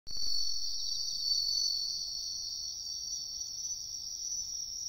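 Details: Wild bell crickets in riverbank woodland: a steady high ringing trill held without a break, with a faint higher band above and low rumbling background noise.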